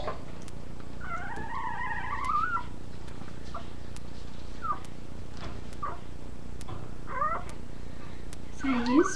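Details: Puppies give wavering, high-pitched whines and short squeaky yelps over a low background rumble while a puppy is helped to nurse from its mother.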